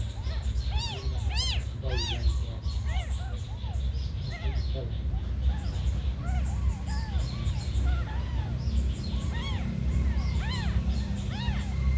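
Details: Abandoned kittens, very small, give bursts of shrill arched meows, clustered at the start and again near the end, with quieter cries between and a constant low droning hum beneath.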